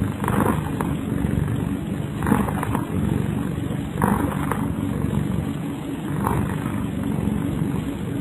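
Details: Sleeping cat Kyara snores in slow rhythm: a continuous deep purring drone broken by four soft, airy breath swells spaced about two seconds apart.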